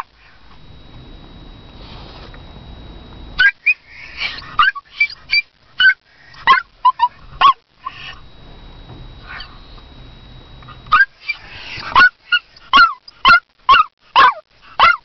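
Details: Toy poodle barking for her owner. After about three seconds of quiet room hum, a long run of sharp, high yaps begins, some doubled and rapid. A short pause comes midway, then a fast, regular burst of single barks.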